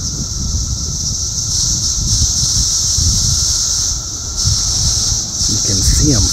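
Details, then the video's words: Loud, active cicada chorus in the south suburbs of Chicago, Illinois, on June 3, 2024: a steady, high, shrill buzzing drone that swells and dips slightly, with wind rumble and a man talking nearby. "Cicada Mania! Very Loud and Active!"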